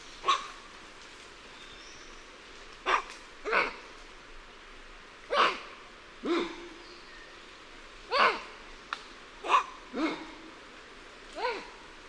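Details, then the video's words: Alarm calls of lion-tailed and bonnet macaques at varying distances: about nine rough, barking calls in irregular sequence over twelve seconds, some ending in falling, harmonic tails, louder and softer callers mixed against a low constant hiss. "Alarm Calls Of Liontail & Bonnet Macaques At Varying Perspectives"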